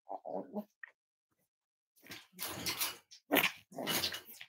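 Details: Five-week-old Cavalier King Charles Spaniel puppies from Myra and Remy's litter, indoors at Red Barn Cavaliers during weight checks on a chilly Thursday morning: a few brief tonal whines, then harsh, noisy grunting bursts, fairly faint.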